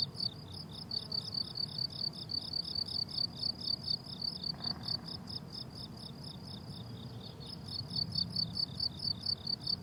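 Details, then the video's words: Rhythmic chirping of crickets on a flowering summer meadow: shrill pulses about twice a second that pause briefly mid-clip before resuming, with a gentle low rumble beneath. "Relaxing Cricket Sounds on a Summer Meadow"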